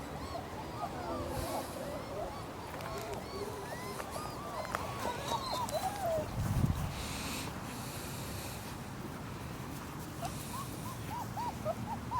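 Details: Three-week-old German Shepherd puppies whimpering: thin, arched squeaks rising and falling, bunched in a quick run mid-clip and again near the end, over a low rumbling background with faint thumps.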